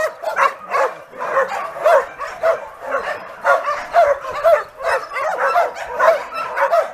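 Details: Many homeless dogs barking together at a large shelter of some 2,000 animals, waiting for homes; dense, overlapping yapping barks with louder bursts rising every second or so throughout.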